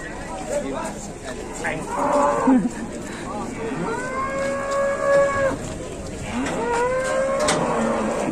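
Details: Big cattle unloaded from transport in Indonesia: several moos, one long sustained bellow held around two seconds and a shorter rising one later, over steady background noise, voices and faint music.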